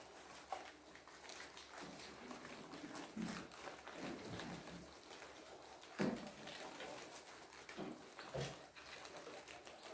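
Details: Guinea pigs crunch and nibble kohlrabi, making a quiet run of soft, irregular clicks.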